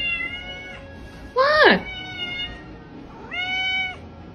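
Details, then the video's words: Pet cat meowing over background music: a steady, level meow, then a sharp rising-and-falling yowl that drops steeply, a pause, and a final sustained meow, with a faint voice underneath. "talking cats"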